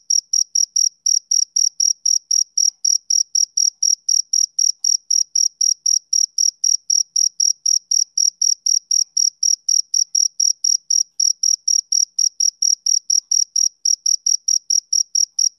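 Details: Steady rhythmic chirping from a male cricket, a classic summer-evening insect sound: bright, high trilled pulses following one another about four per second without pause, in a quiet background with nothing else audible.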